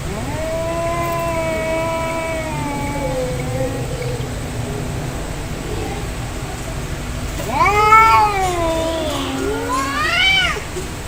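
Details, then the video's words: Cats fighting, angry: quiet long moaning growls that drift slowly downward, followed by two louder, rising and wavering yowls near the end over faint background hiss. "Angry Cat Fight Cats Sound Effect Real fight Of cats Audio"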